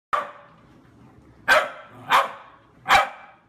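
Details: Corgi barking indoors: four sharp, clipped barks, the first alone and then three in quicker succession, with a quiet pause in between. A person speaks to the dog nearby.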